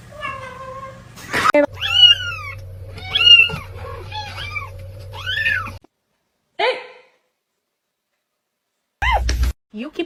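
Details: Domestic cat in a funny-cat compilation giving a run of drawn-out, arching meows over the first six seconds, each rising then falling, over a low steady hum, followed by a few short clipped sounds after silent gaps and abrupt cuts.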